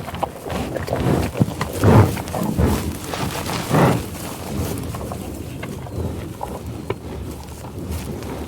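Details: American bison eating in tall grass prairie; two louder rough grunting bursts stand out among constant munching and rustling of grass, with scattered soft snorts.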